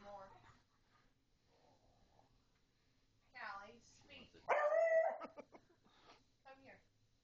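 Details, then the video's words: Jasmine, a beagle, barks indoors in a small room while people keep trying to get Callie, a pug, to speak; soft talk and commands come first, then one loud, harmonic bark near the end, followed by a short voice. "Jasmine Speaks"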